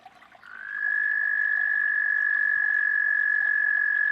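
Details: Frog. A frog calls with a sustained, high-pitched trill, rising briefly at the start and then holding one steady pitch. The fast pulses run together into an even, buzzy tone with little else audible behind it.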